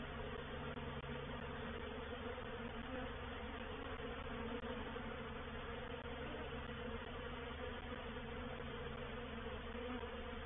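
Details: Honey bee reproductive swarm entering a bait hive, or swarm trap, at Painted Peacock Manor on 04/07/21; a dense, loud, unbroken buzzing drone of many wings, even in volume throughout.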